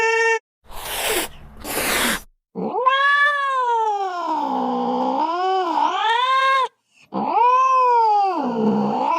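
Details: Cat wailing, a sound said to scare a baby into sleep and drive off mice: two bursts of hissing noise, then a long wavering caterwaul that dips and swells in pitch, and another rising and falling cry.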